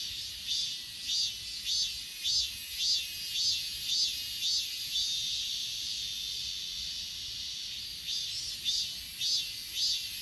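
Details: Chorus of Achasan mountain insects filmed on an S20 Ultra: shrill, pulsing chirps repeated at a brisk regular beat, about twice a second, over a constant high buzz, briefly easing in the middle before resuming.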